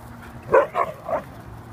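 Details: Siberian Husky singing: three short, rising-and-falling yodel-like vocal notes in quick succession over about a second, with a low steady hum in the background.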